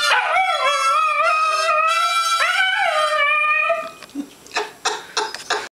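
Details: A small dachshund howls along to a harmonica in long, wavering, rising and falling tones.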